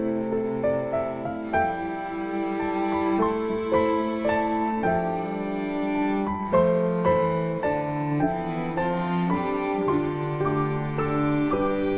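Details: Slow, mournful bowed strings like cello and double bass play sustained notes with soft piano underneath, and no animal voice is heard.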